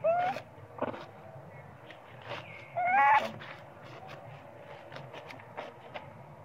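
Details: Sweet Pea, a baby monkey screaming loudly for milk because he is very hungry, mother not caring much; a thin wail at the start, then a louder rising-falling cry near three seconds, with soft clicks and rustling between.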